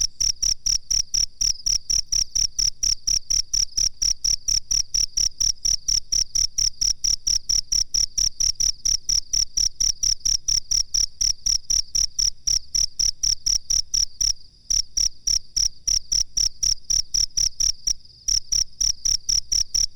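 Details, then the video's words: Cricket master recording for training birds: a continuous train of high, pulsing chirps at around three per second, broken by two brief silent gaps near the end. "suara jangkrik masteran terbaru"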